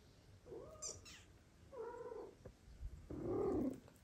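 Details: Cat in a family where the mother stops feeding two foster kittens and the father cat helps; three soft, fairly faint meows, the last longer and falling, with light clicks and low background hum.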